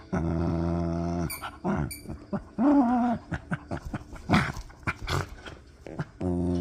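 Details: Miniature Pinscher; play growl; play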